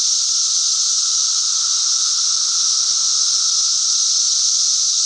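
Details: Droning cicada song: a shrill, hiss-like buzz at a constant level, layered over a faint lower hum, continuous from start to end.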